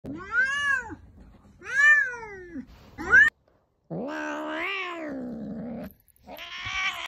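An angry cat gives arched, whining meows, then a long wavering yowl.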